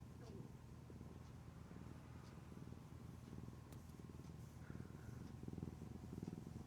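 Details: Affectionate, clingy pet cat purring: a steady low rumble with fine rapid pulses throughout, getting slightly louder near the end; faint voices and soft background noise.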